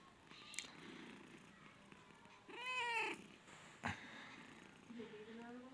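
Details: A nine-month-old male cat offered for sale at a cat market in Khulna gives a single short meow that arches up, then down, amid market chatter, sharp clicks and background hubbub.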